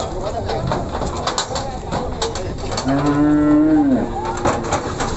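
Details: A single Simmental bovine at the Ambarawa Pasar Pon cattle market lets out a flat, sustained moo that drops off at the end, amid clattering and voices of a crowded marketplace.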